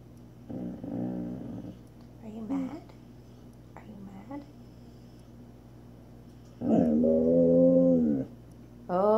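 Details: Female Samoyed indoors in a small room, giving drawn-out, moaning whine-howls in three bursts, the last long and steady, answering a woman who talks to her in a soothing voice between calls.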